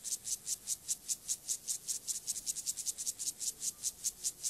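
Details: Siberian grasshopper male, Gomphocerus sibiricus, performing courtship song toward a female; short bright scratchy strokes pulse rhythmically, about two or three each second, clean and high-pitched throughout.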